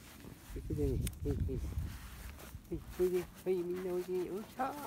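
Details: Several 31-day-old field-type Labrador Retriever pups on a lawn. Rustling and handling noise fill the opening, then steady, level whines follow. A higher rising whimper closes the clip.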